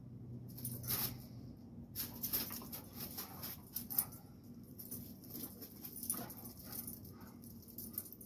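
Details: Blue pit bull and Rottweiler brawling: a steady low growl opens, then bursts of snarling come roughly every second, broken by scuffling, thuds and sharp bright clicks.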